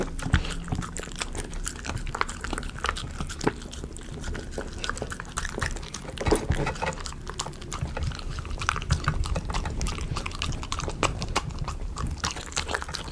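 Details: A Miniature Schnauzer eats chicken potpie dog food noisily, with wet smacking, crunching and licking in quick irregular bursts.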